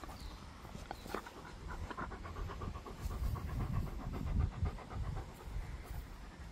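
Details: Gorlock The Destroyer, a pet dog, grunting and panting while eating and playing: quick, rhythmic breathy pants, close to two per second, over a steady low rumbling and close handling noise, with occasional sharper snorts.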